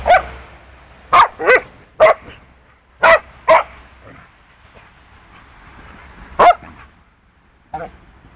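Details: Rough play between Punky, a two-year-old poodle, and a clumsy four-month-old wolfdog puppy. Scattered loud, sharp barks, often doubled, over a low scuffling background, with a final softer yip.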